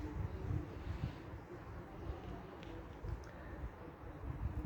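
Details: Low rumbling traffic or vehicle noise with faint distant sounds and no animal voice heard.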